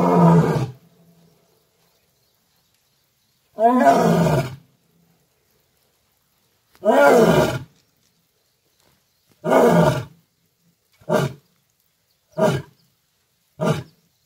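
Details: Asiatic lion roaring in Gir Forest: a series of deep, hoarse roars, the first several long and full, then shorter grunting bursts coming faster, about seven in all, with silence between.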